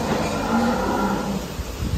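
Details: A huge decorated bull from Wealthtech Agro, offered for Qurbani 2022, lets out a low, drawn-out moo that wavers slightly in pitch. Loud crowd noise and voices of a busy cattle market surround it.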